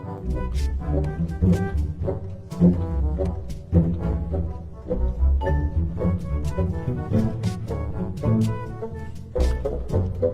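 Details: Deep bowed-string and bass music plays in uneven phrases, with no animal voice heard.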